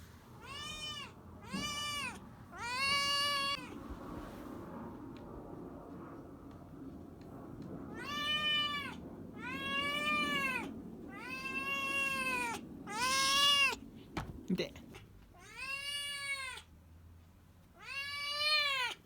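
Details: Tabby-and-white kitten meowing loudly to ask for food, about ten arching, harmonic-rich meows in uneven bursts with a long pause in the middle, quiet indoor background.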